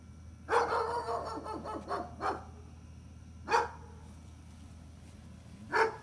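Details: Gunner, a dog, barking: a quick cluster of sharp barks in the first two seconds, then single loud barks spaced a second or two apart, over a steady low hum.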